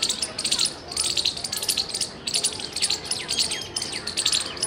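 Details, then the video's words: Loud chirping from a squirrel on 17 February 2021: bouts of quick, shrill, clicking chips about a second long, separated by brief gaps, plus soft downward-sliding bird notes in the background. "Loud squirrel chirping sounds"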